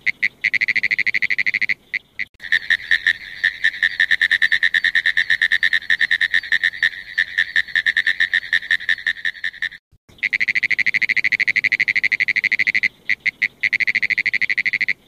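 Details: Frogs trilling: long runs of rapid, evenly spaced high pulses, broken by a few short pauses and a near-silent break around ten seconds, then the pulsing resumes unchanged.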